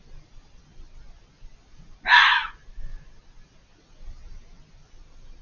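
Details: Unseen fox beyond a hedge, calling repeatedly for over five minutes; one rasping, breathy scream lasting about half a second, trailing into a faint thin tail, amid otherwise quiet surroundings.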